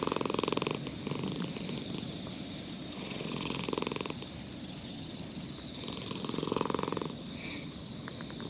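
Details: Old brown-and-white cat in a park purring while a person strokes it: a rhythmic, rapidly pulsed rumble swelling in bursts, over a steady high-pitched insect drone.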